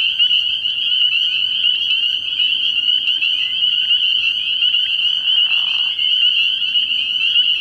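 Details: Early-year frog pond at night packed with calling spring peepers; an unbroken, shrill high chorus of overlapping peeps, with a short lower swooping sound late in the recording.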